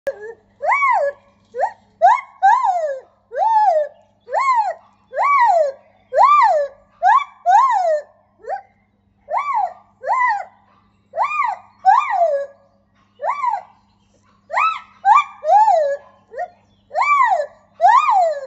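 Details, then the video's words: A lar gibbon named in the recording as female, Ella, sings loud, rising-and-falling whooping notes in a steady series, in her new enclosure at a primate park; White-handed gibbon. "Lar Gibbon Ella has a beautiful song!"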